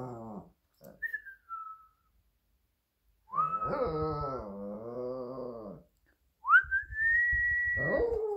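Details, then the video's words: A Shih Tzu, Minnie, joins a person's whistling with a long quavering howl lasting over two seconds, followed after a pause by a rising whistled note that overlaps the start of another howl. "The Cutest Shih Tzu Howl!"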